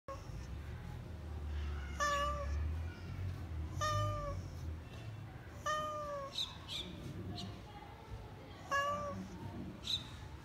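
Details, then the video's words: Domestic cat meowing: four short harmonic meows spaced roughly two seconds apart, each with a brief rising-then-falling tone, over a low rumbling background hum and some faint clicks. "Meow meow"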